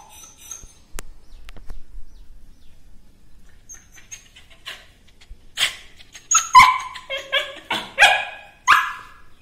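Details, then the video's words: Cute dog barking: a quiet stretch with faint clicks, then from the middle onward a burst of high-pitched, harmonic yaps in quick, uneven succession. "Dog Barking"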